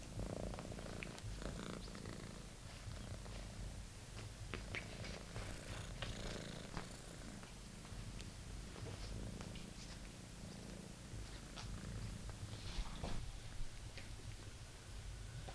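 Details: Purring British Shorthair kitten, Monty, playing with the old favourite toy he found; long steady low purr with many sharp clicks, taps and rustles from the play, quieter toward the end.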